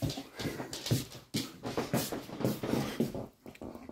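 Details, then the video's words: Alaskan Malamute struggling a bit with a pig-in-a-blanket: wet smacking and biting noises come in quick, uneven bursts for about four seconds, with no barks or howls. "Alaskan Malamute struggles a bit with the pig-in-a-blanket"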